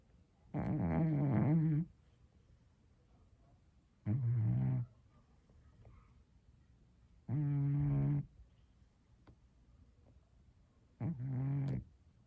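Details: Scottish Straight pet cat snoring indoors: four loud, rough, low buzzing breaths, each lasting about one second, spaced roughly three to four seconds apart, with quiet pauses between them.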